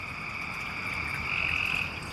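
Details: Frogs calling under a street culvert in a West Raleigh neighbourhood, North Carolina, on a rainy night, about half a dozen calling. A thin, steady, high trilled note swells toward the end over a hiss of rain and background noise.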